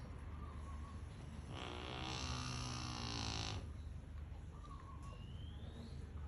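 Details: A fat Rottweiler, asleep and snoring very loudly, gives one long, rumbling snore that rasps and fades over two seconds.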